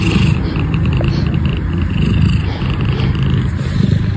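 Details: Close, steady low purring from a domestic cat, a dense continuous rumble with fine rapid pulsing and no pauses.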